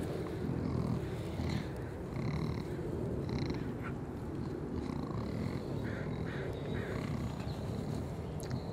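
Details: Collared peccaries, curious animals with constantly sniffing noses, heard as a steady low, rough, purring rumble of grunts throughout, with short higher tonal chirps and faint clicks scattered above the rumble.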